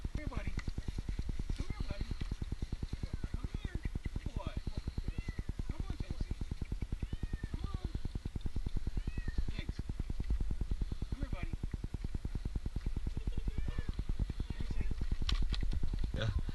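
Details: Jinx, an 8-month-old kitten stranded two nights in a tree in Newark, Ohio, during his rescue: repeated short arching meows over a steady low pulsing engine rumble, with men talking nearby.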